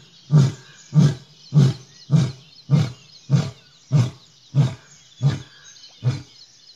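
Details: An Asiatic lion in Gir, Gujarat, India, gives a series of deep, hoarse grunting roars while drinking water, evenly spaced about every two-thirds of a second.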